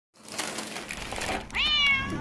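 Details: Community calico cat called Buchinko, a neighbourhood stray, gives one clear rising-then-falling meow near the end, rich in harmonics, after a stretch of soft rustling and handling noise.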